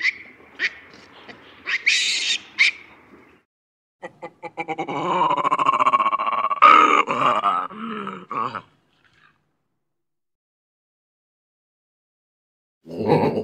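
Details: Baboon calling: a few sharp high clicks and squeaks, then a rough, harmonic run of grunting, roaring barks lasting about four seconds, followed by silence and a final short noisy burst.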